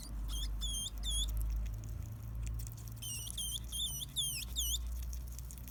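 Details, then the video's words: Seven-day-old baby hedgehog, one of four born in a backpack after its mother Cinnamon Hana escaped her cage, squeaking shrilly for its mother on a morning of 10 August 2016: two bursts of high, thin, repeated peeps over a low hum. "生後７日目の鳴き声 ハリネズミ赤ちゃん"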